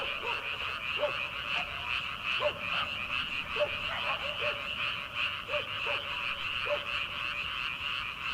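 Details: Rice-paddy frogs calling on an early-summer night before rice planting; dense rapid croaking fills the background while individual rounded croaks pop out irregularly about once a second.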